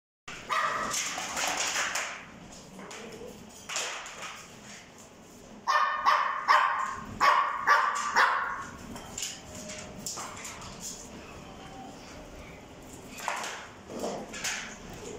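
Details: Male French Bulldog, white and cream coat, born June 2021, giving short, rough barks in bursts near the start and again around the middle, with quieter gaps and faint movement noise between them.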